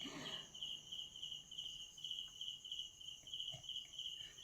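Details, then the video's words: Crickets noisy at night indoors, a tokay gecko also calling nearby; steady high-pitched trilling drone with a fainter upper band, continuous throughout, with faint soft thumps and a brief low sound at the start. "So pati kuliglig, ang ingay ng mga kuliglig."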